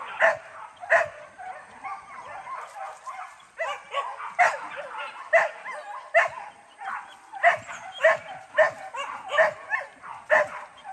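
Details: Dog in hunting training at Sungai Pingai barks in rapid, irregular bursts, some barks doubled, continuing steadily over several seconds with a slight background hiss.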